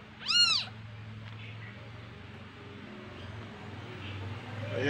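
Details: One of three kittens born to a house cat at home gives a single sharp, high, arching meow early on, followed by quiet room noise and a steady low hum.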